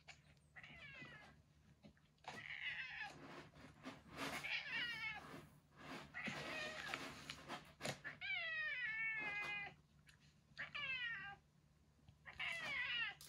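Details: Loud strained yowls and screeches from a cat, in a setting with the legendary retired boss cat Yongo (Kuro) under home terminal care. The calls are long, quavering and rich in overtones, broken by short pauses, over a constant low hum.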